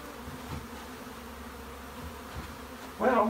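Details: Honey bees in a bee shed: a low, steady droning buzz runs throughout, with a brief louder burst of sound near the end.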